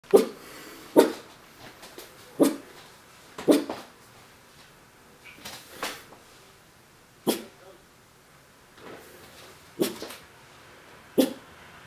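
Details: Four-month-old Miniature Pinscher puppy looking through a window and barking: short, sharp single barks repeated irregularly every one to two seconds, with quiet indoor background between them.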